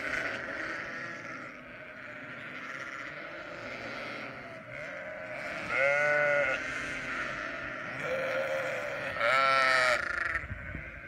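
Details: Sheep flock murmuring in the background while two distinct, louder wavering bleats stand out, a few seconds apart, over steady low noise.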